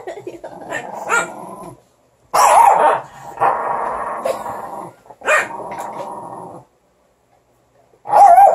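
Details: Morkie puppies fighting over a stick, trying to get it from one another: low rumbling growls in bursts with barks mixed in, gaps of silence between, and a person talking to the dogs.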